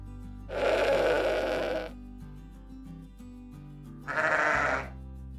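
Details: Sheep on a farm bleating: a long, broad, wavering bleat of over a second, then a shorter higher bleat after a pause, with soft background music throughout.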